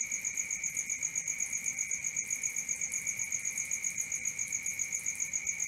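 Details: Shrill, rhythmic cricket chirps after dark, repeated roughly four times each second in a constant high-pitched stream with a faint upper ringing tone.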